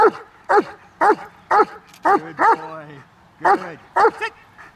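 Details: German Shepherd speaking on command in an on-and-off training exercise, giving a steady run of punchy barks about every half second, one drawn into a falling whine, then a pause before two more barks.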